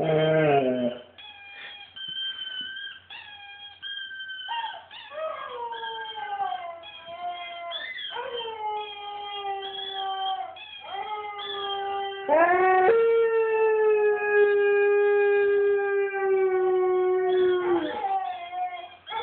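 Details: Siberian Husky howling in a long run of tonal, wavering notes that slide up and down, some rising sharply then holding a steady drawn-out pitch before falling away; short whimpering breaks between howls.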